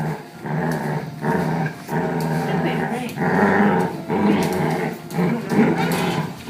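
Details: Two pet dogs playing tug-of-war with a rope indoors, one doing all the noise-making: a continuous rumbling, throaty growl with rough pulses and brief pauses, while a person talks over it.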